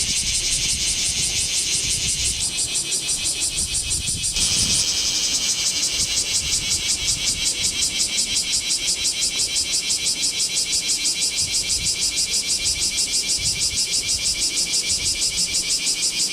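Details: Bear cicada chorus in Kamo town on a sweltering 2 August 2026, captured with a Z50II camera; a high hissing buzz briefly dips twice early on, then settles into a strong, regular pulsing rhythm, with faint low traffic-like rumble beneath.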